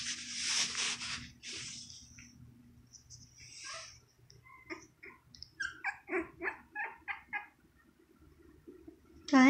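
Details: Six young Shih Tzu puppies, around two and a half weeks old, being cared for indoors after their mother stopped nursing. A person talks first, then the puppies give a quick string of short, sharp squeaks, about three per second.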